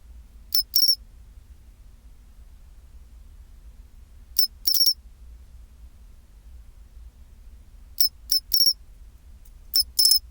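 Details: Pine cricket singing its chinchirorin song at 24°C: four bright, high-pitched bursts, each a brief click followed by a short ringing trill, spaced several seconds apart over near-silence with a faint low hum.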